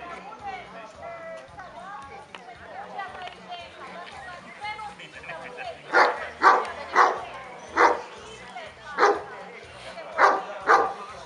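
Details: At the 2017 Kuvasz club show in Kishegyes, people talk for several seconds before a dog breaks into a burst of about eight deep, punchy barks, roughly two per second, with chatter continuing behind.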